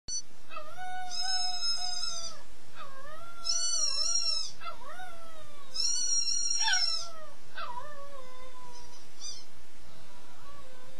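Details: A young gray wolf howls in long, smooth tones that slide downward, with several voices overlapping.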